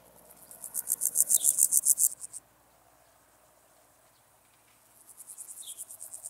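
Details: A meadow grasshopper (Pseudochorthippus parallelus) sings in Elsbethen, Austria, on 27 July 2019. It gives dry, rasping bursts of rapid pulses that swell in loudness, then pause.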